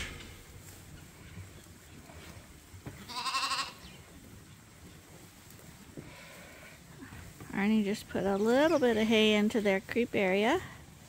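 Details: Lambs at Ewetopia Farms, still on their mothers but topped up twice a day from a hand-made bottle feeder. One short wavering bleat comes early, then a run of loud, quavering bleats in quick succession near the end over low farmyard noise.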